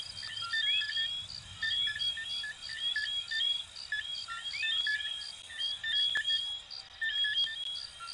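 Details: Chorus of coquí frogs recorded in Venezuela and Puerto Rico. Crowded, overlapping chirped notes, several curling upward, repeat roughly once a second over a constant shrill pulsed background, with a couple of faint clicks near the end.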